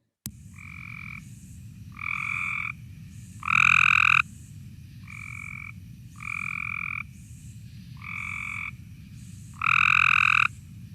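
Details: Cope's gray tree frog played back as the only tree frog species known in Kane County, its call described as harsh: short buzzy trills in groups of three, growing louder in each group, about 0.5 seconds each, over steady low hum.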